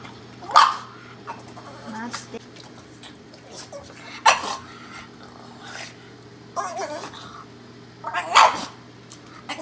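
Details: Kiiro the Boston Terrier, eager for microwaved Himalayan cheese, lets out three brief, voice-like barks spaced a few seconds apart, with softer whines and mouth sounds between them over a constant low hum.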